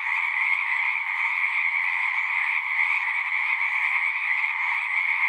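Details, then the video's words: Frogs singing in chorus at a pond in a horse pasture, recorded on a Zoom 6, their overlapping shrill trills forming a continuous, level hum with nothing else heard. "Frogs singing"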